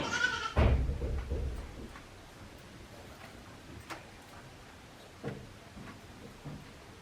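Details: One-day-old goat kids of Hikari at Yoshigake goat farm, a handmade farm in Japan, 17 April 2024; a short harmonic bleat opens, over low rumbling handling noise, followed by quieter scattered knocks and rustles.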